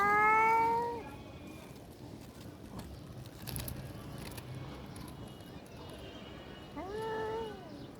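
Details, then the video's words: House cat growling so that another cat, a female, flees in fear; two brief, bent yowls, one at the opening and one near the end, with faint background rustling between them. "যে বিড়াল হুংকার নিয়ে আসলো সে বিড়ালি ভয় পালালো"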